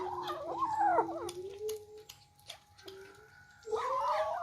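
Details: Several kittens eating for the first time, jostling for food: loud, tangled meows at the start, a few thin calls in the middle, then another burst of overlapping meows near the end, indoors.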